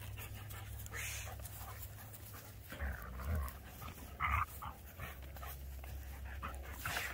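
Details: A Keeshond and a Greyhound playing tug with a tug ball, recorded 21 March 2021: breathy panting and soft huffs amid tugging scuffles, with a steady low hum indoors.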